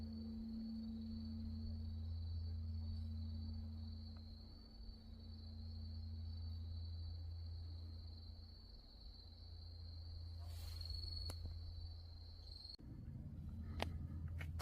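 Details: Night insects at the mountain temple Wonhyosa, Mudeungsan, recorded October 2024: one sustained shrill trill holds steady, over a slowly pulsing low bell hum. A faint mid-pitched tone fades early, and a short burst of clicks and rustle comes near the end.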